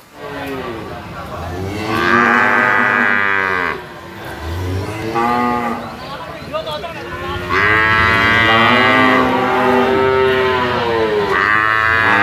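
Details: Sacrificial cattle (jumbo, over 500 kg) in a pen for weighing, lowing in long, loud moos with rich harmonics; three drawn-out calls, each rising then falling, separated by brief pauses, over steady background noise.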